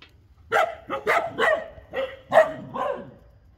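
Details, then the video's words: Street dogs fighting in the afternoon, sharp harsh barks in a rapid burst, six loud barks over about three seconds with uneven spacing, clear and close against a quiet background. "STREET DOG FIGHTING AFTERNOON TIME||STREET DOG BARKING||"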